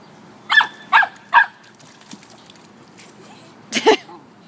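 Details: Samoyed and Chow puppies playing near water: a dog gives three quick barks about half a second apart, then a double bark after a pause.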